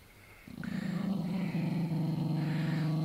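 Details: Jack Russell Terrier cornered with its kill, a squirrel, filmed in 2009 on an old flip phone; a low, steady rumbling growl starts after half a second and continues throughout with a fast pulsing texture.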